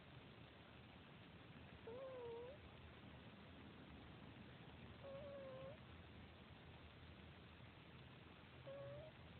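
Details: Sleeping domestic cat gives faint whistling snores, three short bent tones on successive breaths about three seconds apart, with steady low background hiss and nothing else audible.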